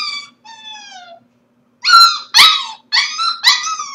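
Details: Corgi pup watched on a home stream while the household is at work, 4/21: two drawn-out falling whines followed by four loud, harsh yipping cries about two per second, in a quiet room.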